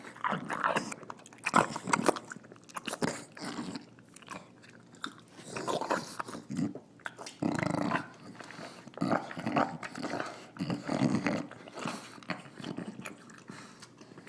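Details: Dinner-time snorting and snarling from Nila, a female English Bulldog: harsh, nasal snorts come in irregular rushes between clicks of chewing and crunching.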